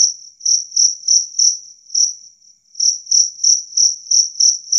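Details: Jangkrik kalung, the two-spotted cricket, giving loud clear chirps meant to repel rats; high pulsed chirps about three per second, briefly faltering into a soft trill midway before the rhythm resumes.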